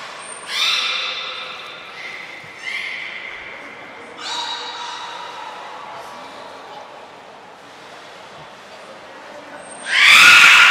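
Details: Beluga training session with the whole group at Port of Nagoya Public Aquarium, 2 April 2023: several short, bright, harmonic squeals, some sliding slightly, fading out, followed by a loud noisy burst at the close.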